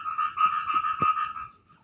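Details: Small but loud mysterious frog heard while fishing and approached quietly, giving a single nasal, ringing croak, a steady harmonic tone lasting over a second, with a few soft knocks beneath.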